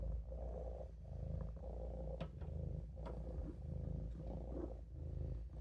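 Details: Maine Coon Olof purrs during a nap in the sink, a deep throbbing hum rising and falling with his breathing, with a few light clicks scattered through it.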